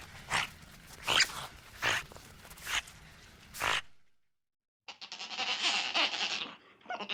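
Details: Otters heard in the wild: five evenly spaced sharp chirps about one every 0.8 seconds, a brief silence, then a longer buzzy, squealing trill of high-pitched cries and a final short squeak.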